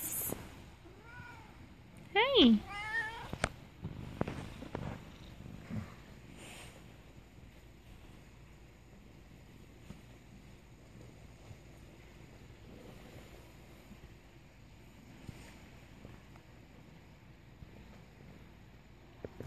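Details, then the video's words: Oriental cats greeting their owner: a few faint short meows lead into one loud wavering meow that rises and falls, then soft rustles and a long quiet stretch. "Oriental cats greet owner"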